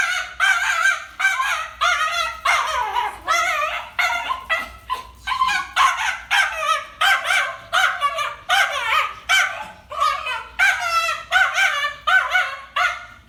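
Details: Fear-driven reactive barking from a five-year-old domestic dog on a leash facing another dog, a lifelong reaction: dense, nearly continuous run of sharp, shrill barks and yips, roughly one every second, with no pauses.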